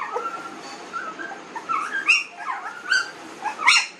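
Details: Newborn puppies, 19 days old, giving scattered high, thin whines and short squeaks, some rising and falling, spaced irregularly with quiet stretches between calls.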